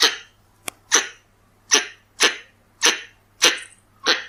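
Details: Pallas's squirrel, or red-bellied squirrel, recorded for use as a hunting lure: seven harsh, broadband chucking barks at uneven spacing over four seconds. Each starts sharply and fades. A faint low hum runs underneath.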